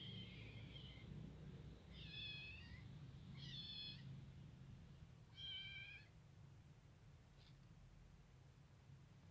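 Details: Indoors, a white kitten comes over to a ginger female Persian cat that is eating. Four short, high-pitched mews are spaced about 1.5 to 2 seconds apart, followed by a faint click, over a steady low hum.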